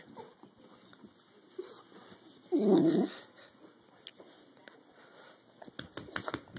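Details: Pet dog during a fight giving one low, rough growling burst lasting about half a second amid faint background noise and scattered clicks.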